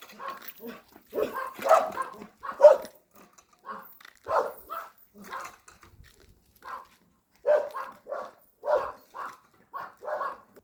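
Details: A puppy out on a walk, giving short, harmonic yelps and barks in irregular bursts, some in quick pairs or clusters, separated by brief quiet gaps.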